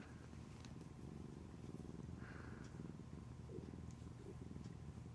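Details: Affectionate, clingy pet cat purring steadily close up, a soft low rumbling pulse that continues without a break, with faint rustles in the background.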